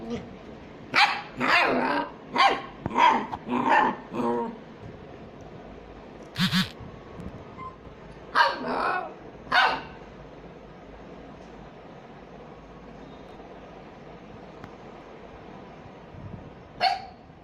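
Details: Small dogs at play bark in a rapid burst of repeated yaps, then a few spaced, louder barks, followed by a long quiet stretch and one final short bark near the end.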